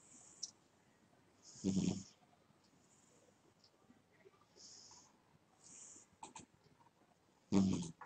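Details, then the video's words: A sleeping pet cat snores: two short, rough breaths about six seconds apart, each a broadband rasp with a low buzzing core, separated by near silence in a quiet room. "My Snoring Cat"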